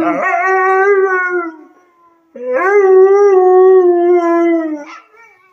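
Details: Siberian husky Arlo, a service dog in training, gives two sustained howls, each opening with a rising scoop then holding a steady, slightly wavering tone before fading, a brief silence between them.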